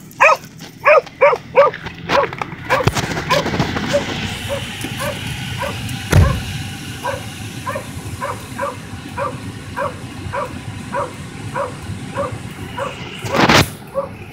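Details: Excited dog talking back before starting his run: a fast series of sharp barks at the start, then a steady string of short, evenly spaced yelps roughly every half second, with a person speaking and handling noise in the background.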